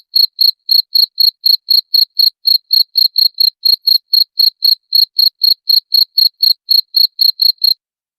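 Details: Cricket chirping, said to repel rats: loud, clean high-pitched pulses repeated about four times per second in a steady rhythm, on a silent background with no other sounds.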